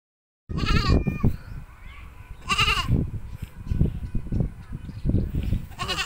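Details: Goats bleating: three loud, wavering, nasal bleats rich in harmonics come at roughly two-second intervals, set against repeated low thumping and rustling noises close by.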